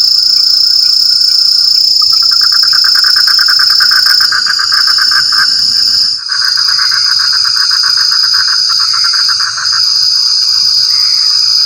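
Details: A frog chorus in rainy conditions: a fast pulsed trill swells after two seconds, breaks briefly near six seconds, then resumes. A steady high insect whine continues throughout.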